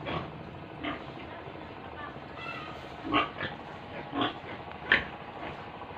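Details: Pigs and piglets at a pig farm in Tripura, around feeding time, giving short rough grunts at irregular intervals, about four louder bursts spread over six seconds against a steady farmyard hum.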